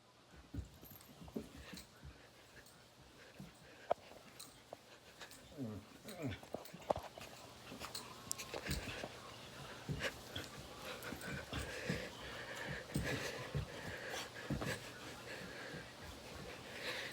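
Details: A female dog growls and groans in low, rumbling bursts while playing an intense game of tug and jumping high, with a person speaking encouragingly.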